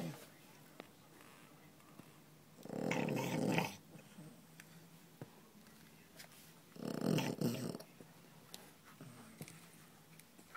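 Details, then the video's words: Dog snoring while asleep during office hours at a pet resort, with two coarse, rumbling snores about a second long, roughly four seconds apart, and soft clicks and low room noise between them. "Snoring Fannie"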